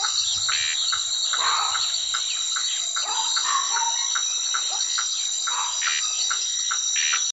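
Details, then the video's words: Toads croak in short, rough bursts about every half second, several overlapping, over a steady high-pitched insect drone in a night chorus in the Brazilian caatinga, while birds sleep. "os sapos coaxando"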